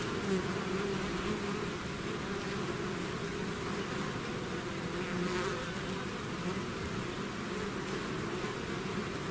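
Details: A bee swarm leaving its hive keeps up an even, droning buzz that barely changes in loudness throughout, with a low fundamental hum and a layered harmonic above.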